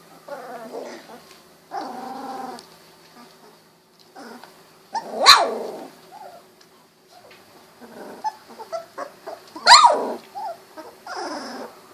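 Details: Golden Retriever puppies, 16 days old, eyes recently opened, wiggling and walking: a mix of whiny harmonic whimpers, short growls and two sharp high yelps, irregular, with rustling movement between calls.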